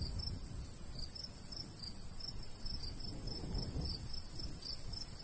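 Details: Summer crickets by a golden wheat field in the countryside, chirping in rapid high pulses, somewhat softer, over a continuous bright insect drone and a low, breezy rumble.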